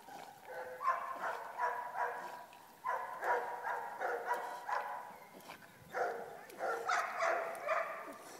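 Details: Female Border Terrier named Clover playing fetch at a dam, retrieving her ball; rapid excited yapping barks in three bursts, each a quick run of sharp notes, over faint outdoor background.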